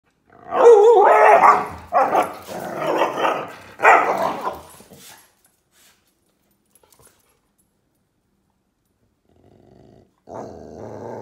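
A dog gives three loud, grumbling howls in quick succession, then falls quiet.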